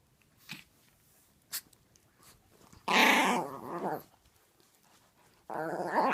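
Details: Full-grown tiny Chihuahua female vocalizing during play with a six-month-old Chiweenie puppy in a room; faint rustling and soft clicks, then a loud harsh rumbling growl-whine lasting about a second, and another raspy grumble near the end.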